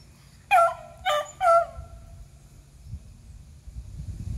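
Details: Three beagles named Athena, Zeus and River chasing squirrels, recorded April 21, 2020; a quick run of three loud, ringing barks within a second, then low background rumble.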